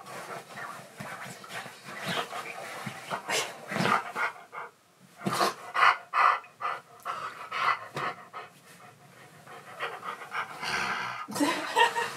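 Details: A Siberian Husky that keeps talking until someone plays with him, in an excited mood. He pants quickly and gives short, vocal, talking-like sounds in irregular bursts, with some handling noise.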